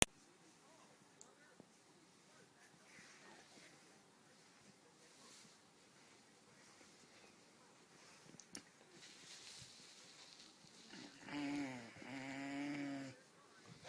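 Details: A male Great Dane puppy having his achy joints massaged lets out drawn-out, wavering whining groans after a long stretch of near silence.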